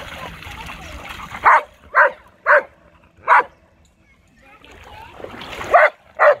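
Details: Blitz, a giant schnauzer, swimming in a lake, gives a run of loud, sharp barks: four evenly spaced about every half second, a quiet pause, then two more barks over rising splashy noise.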